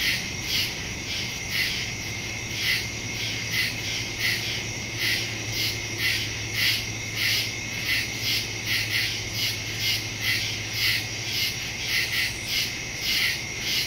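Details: Crickets in woods after dark, September 2, 2023, phone recording (Samsung Galaxy S22 Ultra, Shure MV88+ stereo microphone); bright, high trilled pulses recur in quick irregular succession from many insects, a low constant hum underneath for most of the stretch.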